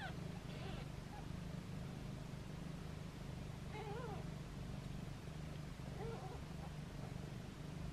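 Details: Foster kittens meowing playfully in hands, with their mother close by; three short, wavering high mews scattered through a low background hum.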